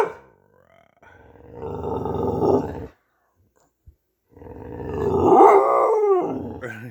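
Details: Dog vocal during play: long, sustained growling moans that swell and fade, a quiet gap, then a louder drawn-out howl-like growl bending upward and down again.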